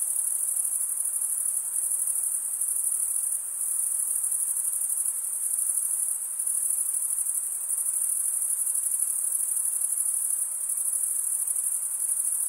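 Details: Crickets stridulating in a steady, unbroken high-pitched trill that forms a dense, continuous shimmer with only slight swells in loudness. No other sounds are heard.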